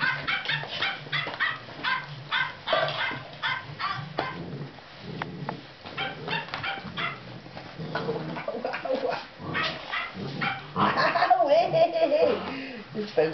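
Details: Golden retriever puppies, 58 days old, at play with their owner; rapid high yips and squeals tumble over each other, then a drawn-out whine near the end, with some background rustling.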